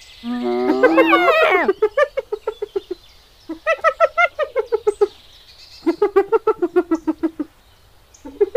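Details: Giggling hyenas at Kruger National Park, South Africa, give a brief rising squeal, then long runs of quick, evenly spaced cackling notes, about three per second, in several bouts separated by pauses, over faint background hiss.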